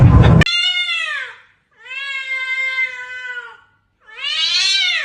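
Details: Kitten meowing: three long, clear, drawn-out meows, each about a second or more with rich harmonics, the first and last falling in pitch, the middle one held level; a brief sharp noise at the very start.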